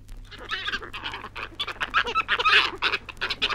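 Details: Flying foxes (fruit bats) in Australia squabble in harsh, overlapping screeches and chattering squawks, several voices calling over each other in rapid, irregular bursts without pause. Recording from 1968.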